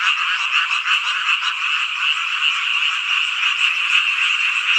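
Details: Many frogs calling together on a hot summer night in Hongcheon, Gangwon-do, Korea, forming a thick, steady chorus of fast rattling croaks that never pauses.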